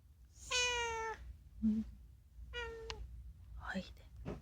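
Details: Unagi, a talking rescued house cat, meowing indoors, the calls mostly about food: a long, clear, slightly falling meow, a short low chirp, then a second flat meow and a brief rising squeak, with faint human voices in the background.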